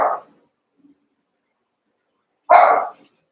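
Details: Playing Cavalier King Charles Spaniel pups, eight in all after two litters were merged. One short bark at the start, a pause of two seconds, then a single louder, slightly longer bark.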